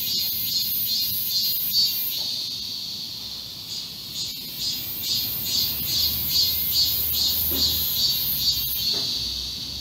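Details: Group of cicadas singing in a garden in midsummer heat on 31 July 2022; a loud high electric buzz beating in quick regular pulses, with faint low background rumble and a few soft clicks.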